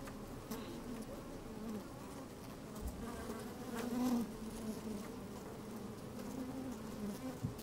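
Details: A microphone pushed into an open beehive on a fine sunny day catches honey bees moving about: a continuous deep hum with a brief louder buzz midway and light scratchy clicks.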